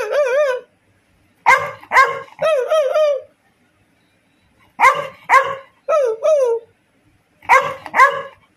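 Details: Labrador Retriever practising barking: bursts of high, tonal, yelping barks with wavering pitch, given in groups of two to four, separated by pauses of one to two seconds.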